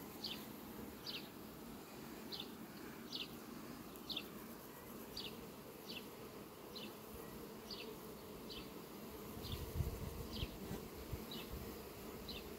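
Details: Western honey bees flying to sunflowers on a farm on 18 July 2021 make a steady, low, droning buzz that swells and fades as they pass.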